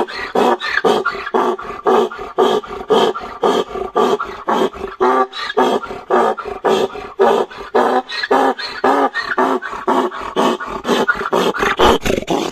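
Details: Donkeys in heat, a male braying beside a chomping female: harsh, broadband, rhythmic pulses of about two per second, steady and unbroken through the whole stretch.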